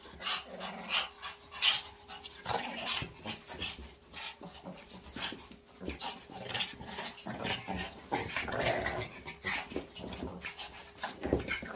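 Shih Tzus bark and yip in sharp, excited bursts, with a few low growls mixed in.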